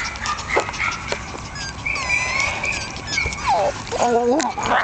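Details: Month-old Jack Russell Terrier puppies from a litter born 27 October 2010 making high thin squeaks and short whimpers, several scattered overlapping calls with clicks and handling noise around them.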